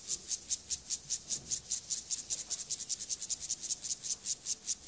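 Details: Singing male Gomphocerus sibiricus grasshopper in a sexual behaviour sequence, producing rapid rasping bursts high in pitch, repeated roughly every 0.4 seconds in a regular, unbroken train.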